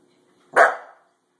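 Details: A Pembroke Welsh Corgi, playing at a door stop, gives a single sharp bark that fades quickly in a quiet room.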